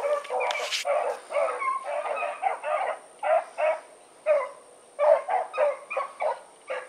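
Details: Pack of four dogs on an evening run, giving a rapid series of loud, hoarse barks and bawling bays, overlapping, with a constant high electronic whine throughout.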